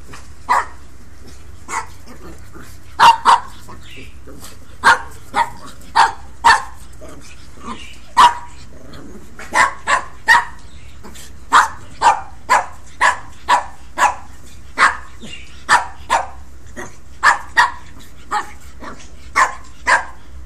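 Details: A female Pekingese puppy and her brother yip and bark in short, sharp bursts while playing rough, until an older male dog steps in to stop the play.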